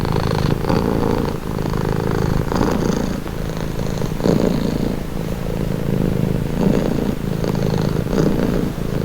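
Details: Domestic cat purring steadily, presented as a calming relaxing sound; a continuous low rumbling vibration with slow swells of breath-like emphasis roughly every one to two seconds, with no other clear sounds.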